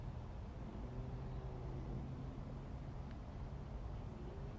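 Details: Steady low engine rumble of a passing vehicle with a faint hum, and no animal sounds.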